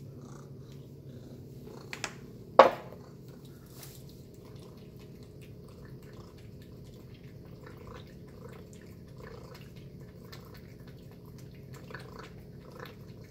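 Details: Tacy, a pet cat, eats a chicken and beef breakfast indoors. A steady low purring hum runs throughout, with soft wet chewing clicks and one sharp knock near the start, in a quiet small room.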